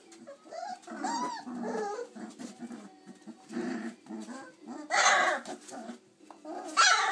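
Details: Chocolate Labrador Retriever puppies, 26 days old, indoors, running around and playing; soft whimpers, small growls and squeaky yelps scattered among rustling and bumping noises.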